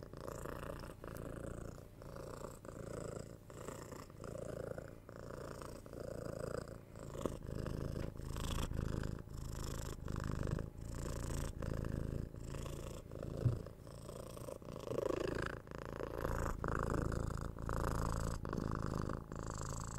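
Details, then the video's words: Six-month-old kitten Tora purring while cuddled, kissed and given head scratches, captured on a 3Dio binaural mic. A steady low rumbling purr pulses with each breath, roughly once a second, with soft scratching and kissing sounds on top. "Cat Purring"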